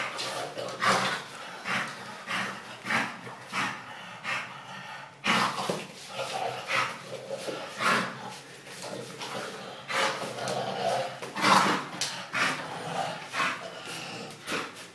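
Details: English bulldog making a run of short, rough, barking huffs and snorts, quick bursts in irregular series with brief pauses, indoors, with a brief cut midway.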